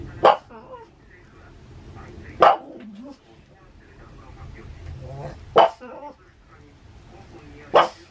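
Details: Maria, a pet Pug in Saitama, Japan, barks at thunder on 6 May 2020, giving four loud single barks about two to three seconds apart, with a short whining note after the second and quiet background hum between.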